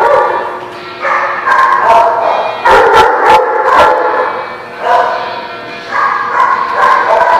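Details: Dogs barking at The Barking Lot, recorded 6/10/17: dense, overlapping yaps and barks repeated in uneven bursts, with short sharp clatters mixed in.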